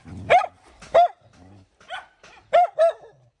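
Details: A dog protecting her babies in a fight lets out five loud, sharp barks spaced irregularly across a few seconds, with a faint low growl between them.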